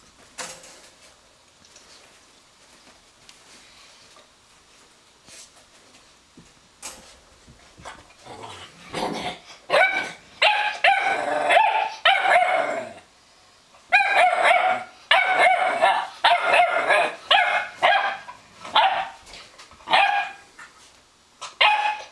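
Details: A young Weimaraner puppy gives quick, high-pitched yips and sharp barks in uneven bursts, with little true low growling, while harassing an older Weimaraner to take her better bed.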